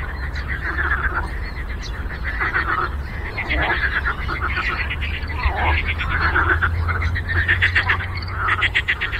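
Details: Frogs croaking together on a lake: a dense, overlapping chorus of rapid, pulsed, rattling croaks that runs without a break, over a steady low rumble.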